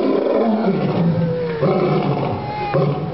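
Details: Male lion at a zoo in Albuquerque grunting: low, rough, continuous rumbling with a faint tonal whine sliding across it, steady throughout with slight swells near the middle and end.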